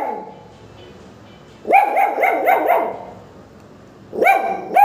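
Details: Pomeranian puppies yap in quick, high-pitched bursts, several sharp barks a second, apparently without any reason.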